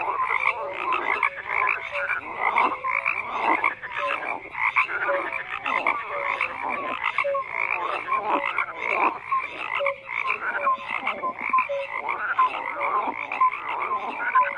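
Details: Crowded croaking of frogs, rasping pulsed calls overlapping densely with occasional short whistled notes, a constant chorus throughout.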